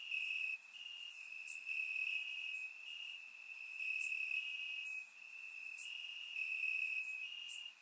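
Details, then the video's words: Grass crickets at night in Bulgaria during warm summer weather, captured in surround sound: continuous shrill trilling pulsing in loudness every second or so, overlaid by scattered very high short chirps. "Cricket Sounds - Crickets Chirping at Night"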